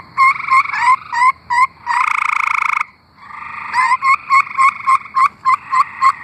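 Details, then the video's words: Several singing tree frogs in Arkansas. Short, rapid chirps come in quick runs, broken by a single loud, buzzy trill of about a second, then a long series of sharp repeated chirps over a softer background trill. "Singing tree frogs"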